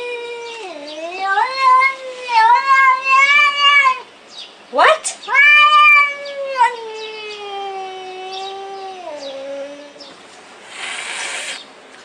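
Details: Kitten giving long, drawn-out meows, loud and wavering, some rising then sagging in pitch, several run together with brief pauses, ending in a short burst of rustling noise.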